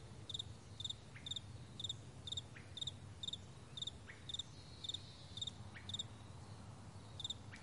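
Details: Morning crickets on a wide meadow chirping steadily, each chirp a tight cluster of high pulses, repeated roughly every half second, with a few faint descending calls in the background and a soft low rumble.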